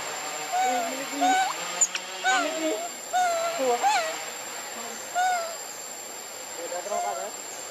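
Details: Baby monkey left alone, crying and calling for its mother while hungry for milk; bursts of short whistled coos that rise then fall, several in quick succession, then pauses, over a steady high hiss.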